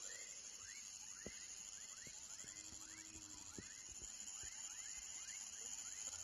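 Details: Young frog calling: a faint run of short, upward-sweeping chirps, about four each second and unevenly spaced, over a constant high-pitched hum and a few scattered low knocks.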